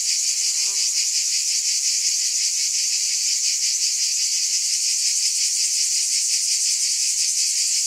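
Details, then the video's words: Steady shrill buzzing of a cicada chorus with rapid fine pulsing throughout; a faint, brief, lower-pitched tonal sound slips in near the start, then only the constant high drone. "Scintillating Cicadas"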